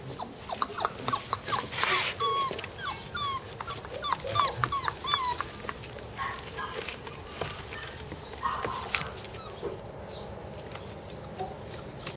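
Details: Border Collie puppies, a brother and sister, giving thin, high squeaks and whimpers scattered irregularly over steady background noise, with a few louder yelps in the first half.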